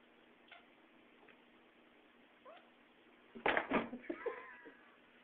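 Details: Bengal kitten, 15 weeks old, indoors attacking pixels on a screen: a few soft faint chirps early on, then a louder cluster of quick chattering chirps and short rising trills near the end.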